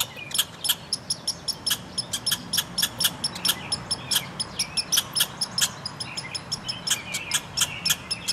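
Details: Red squirrel pair exchanging angry calls in a front yard, a steady stream of clipped, percussive chatter notes, roughly several per second, with brief squeaky slurred notes mixed in.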